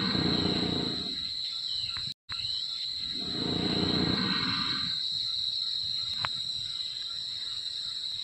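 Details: A wild Sumatran elephant snoring while asleep: two long, rough, breathy rasps of about two seconds each, separated by a short gap. A steady high insect whine continues throughout.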